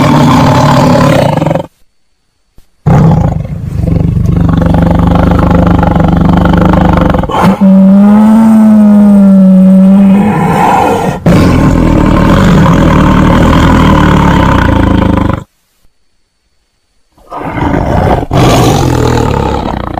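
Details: Tiger roaring in long, heavy bouts; in the middle one roar turns into a drawn-out moaning tone that rises and falls slightly, then harsh rumbling resumes, with brief silences between bouts.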